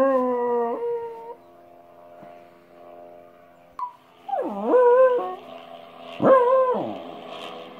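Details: Domestic dog reacting to weird sounds with a long steady howl that ends abruptly. After a quiet stretch come two shorter howls that dip sharply and then rise, over a faint background hum.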